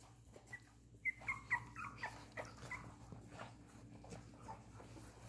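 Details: Silver and silver-beige Miniature Poodle puppies, two and a half weeks old, give a short run of thin high squeaks around the first and second seconds, then fade to quieter scattered whimpers over a steady low indoor hum.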